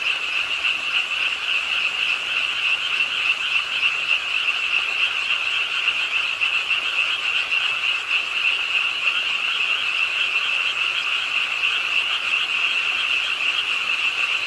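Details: Rainy-night frogs croaking from a park pond in Suwon, South Korea, heard while walking; a steady, loud, high-pitched massed trill continues without pause, accompanied by soft hiss.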